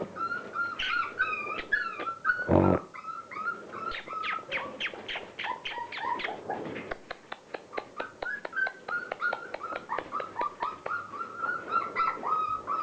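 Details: Border Collie puppies, 36 days old, playing: a run of high, thin, whining whimpers and short yips, many with a rising or falling bend, tumbling over one another almost without pause, with one brief loud thud early on.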